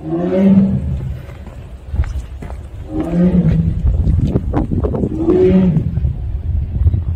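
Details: Three low, rumbling 'aung' moans from a Siberian tiger in the Seoul Grand Park zoo, spaced about two and a half seconds apart, accompanied by sharp clicking and tapping sounds and a noisy background.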